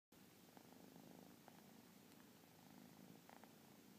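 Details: Persian kitten purring indoors: a soft, steady low rumble pulsing in rhythmic waves, each swell roughly a second long, with faint background hiss and a few light clicks.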